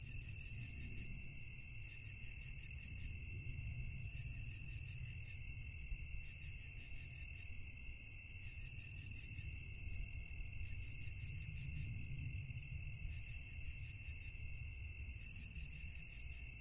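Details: Night-time cricket chorus with continuous high, ringing trills stacked in several bands. Bursts of rapid, very high pulsed chirps come and go at intervals. A steady low rumble runs beneath and swells softly now and then.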